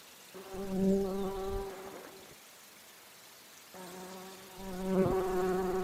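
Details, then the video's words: Bumblebee buzzing while flying among flowers and drinking nectar: two bursts of steady, low humming drone with clear harmonic layers, the first lasting about two seconds, then a pause before a second, louder buzz that rises and falls. "Bee humming / buzzing sounds | Bumble"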